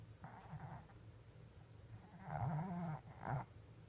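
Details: Sleeping Shih Tzu, eyes still open, snoring in three rough, buzzing bursts, a short one early, then a longer, louder drawn-out rasp and a brief final snort.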